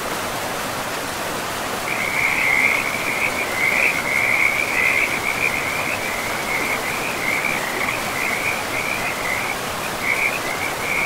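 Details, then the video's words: Frogs calling beside a river in a pristine forest. From about two seconds in, a dense, high, rattling chorus runs almost without a break over a steady rush of flowing water. "River and Frogs sleep sounds"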